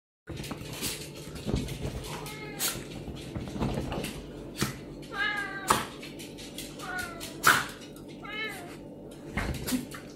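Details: Pet serval in an emotional exchange with a pinscher dog, several short rising-falling meows with stacked harmonics amid clicks, knocks and a dense steady household hum.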